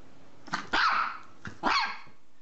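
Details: Dog in a funny barking compilation gives two sharp barks about a second apart, each a broad burst with a strong mid-pitched core, quiet room between.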